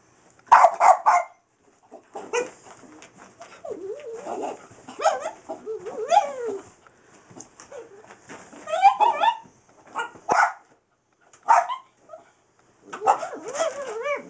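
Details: Skillet, a small Boston bull and wiener dog mix, playing with a laser light at home: sharp yips and short barks mixed with rising and falling whining squeals, in irregular bursts with quiet gaps.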